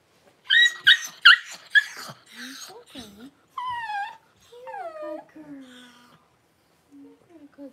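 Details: Cavalier King Charles Spaniel, the mother Paris, whelping her first two newborn puppies indoors: a burst of sharp, high squeals followed by drawn-out, falling whines and softer short cries, with quiet pauses between.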